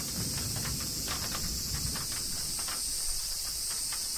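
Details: Cicadas in Kyoto, Japan, keep up a steady, high, hissing drone during a summer rain that patters all around.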